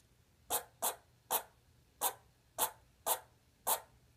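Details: Lexi the pet squirrel making her first sounds in a quiet room: seven short, sharp, broadband chirps spaced about half a second apart, each quickly fading.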